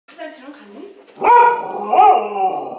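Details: Female Border Collie, born November 2014, grumbling and complaining to Dad while Grandma is with her; a brief soft voice, then drawn-out, wavering, whiny moaning grumbles that swell and dip twice.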